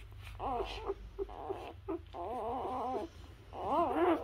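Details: Whimpering newborn Labrador Retriever puppies while nursing from their mother: wavering, harmonic whines in three longer bursts, the last loudest.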